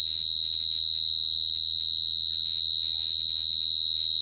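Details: Shrill, level cricket song, a high pulsing trill repeated quickly and evenly from start to finish, with faint low hum behind it.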